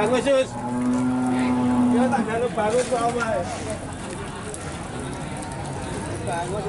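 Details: Large Limousin cattle at the Pon animal market, Nganjuk, East Java: a sustained, level moo of about one and a half seconds, followed by wavering lower calls fading away, with market chatter and background bustle.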